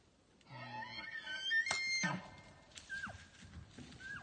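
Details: A bull elk bugles during a 2019 bowhunt, a high, piercing whistle over a lower, reedy tone, then short falling squeals, before he takes an arrow in the chest.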